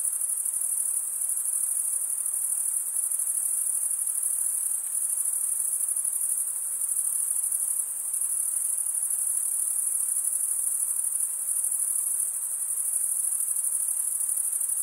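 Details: Unbroken chorus of stridulating crickets, sound made by scraping one wing across the serrated vein of the other; shrill, steady high trill with fast fine pulsing throughout, nothing else audible.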